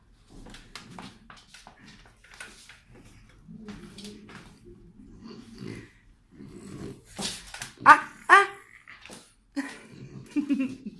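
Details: French Bulldog that wants to bite, growling in low rumbling bursts that build into sharper, louder snarls near the end, while a person repeatedly tells it in Spanish to let go and stop.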